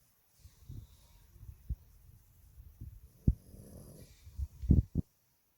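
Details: A Boston Terrier sleeping in its owner's arms snores in low, rumbling breaths with occasional snorts.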